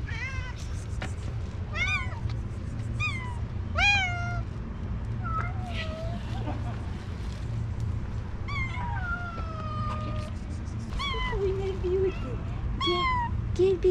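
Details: Stray cats on a car in Istanbul meowing and trilling for food and affection: repeated rising-falling meows every second or two, some long drawn-out and wavering, with a woman talking softly and street background noise.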